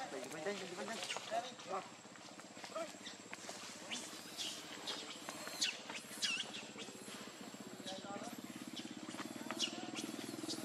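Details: Shrill wavering squeals from Lucie, a hungry baby monkey wanting milk, come in rapid short bursts, some sliding upward, others broken and scratchy, with a steady low buzz running underneath throughout.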